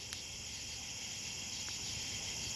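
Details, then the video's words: A steady chorus of crickets in the middle of the night on an abandoned country road, high and shimmering, with several callers trilling together without pause. "And yes, you can hear the crickets."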